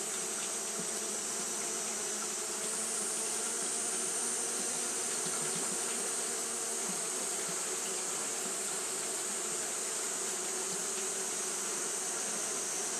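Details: A colony of Japanese honey bees fanning nonstop in hot weather: a long, steady droning buzz that swells slightly after a few seconds, with a constant bright high hiss behind it.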